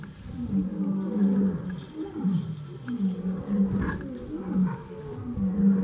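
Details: Lion roaring in a zoo in Iran, with a chimpanzee nearby showing no fear: deep, moaning grunts repeated roughly every two to three seconds in a rhythmic series, with faint background noise.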